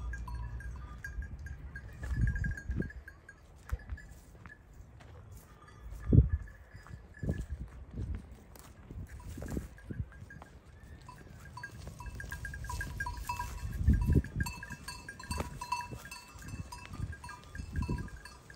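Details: A flock of sheep, goats and lambs grazing close by, with soft tearing and munching sounds.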